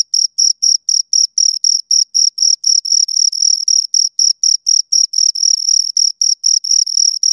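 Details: Close, loud chirping from two crickets, rhythmic high rasping pulses at around four per second, steady and unbroken, with a faint shimmering overtone above and nothing else audible.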